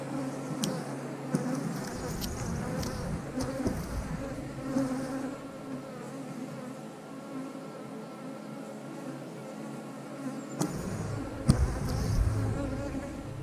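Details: Dense buzzing hum of many honey bees around the frames of an eight-frame hive, a constant layered drone broken by sharp clicks and clunks as the beekeeper works the hive.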